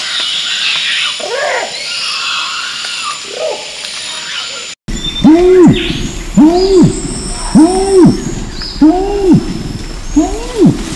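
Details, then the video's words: Orangutan vocalising: after a quieter opening with a few faint, scattered calls, a series of loud, arched, hoarse calls with strong harmonics repeats at roughly one-second intervals. "ORANGUTAN VOCALISATIONS"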